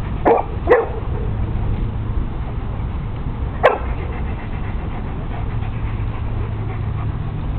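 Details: Zelda, a small terrier at a dog park, guards her found pink squeaky elephant toy from a boxer and two shepherds. Three short, sharp barks: two in quick succession, then one more after a three-second pause, over a steady low rumble.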